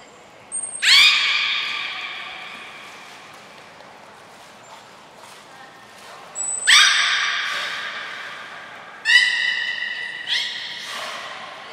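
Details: At Port of Nagoya Public Aquarium, beluga training session with Gray, Nana and Mirai, 7 June 2022: three strong nasal, harmonic calls spaced several seconds apart, each fading slowly, preceded by a short thin high tone.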